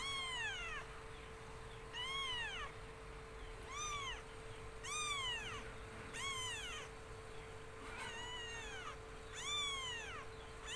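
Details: Black domestic kitten meows repeatedly, each call a clear arched cry that rises and then falls, about one every second or two, over a steady low hum.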